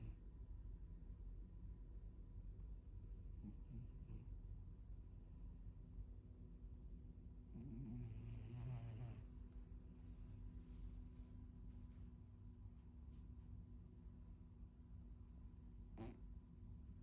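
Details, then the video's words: A Maine Coon cat snoring while sleeping soundly: a low rumbling breath sound, steady and continuous, with a brief higher purring swell around the middle and faint background hum. "꿀잠 자는 고양이. snoring cat"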